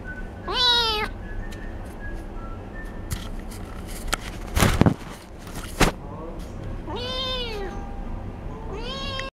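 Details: Kitten crying out, wanting to be taken along: three loud, sharp meows that rise and fall, one near the start and two near the end, with thumps and knocking noises in the pause between.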